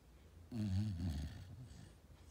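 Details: Golden Retriever asleep after working hard, giving one deep, rumbling snore that lasts about a second, rough and low with layered overtones. It trails off into softer, breathy exhalation in a quiet indoor room.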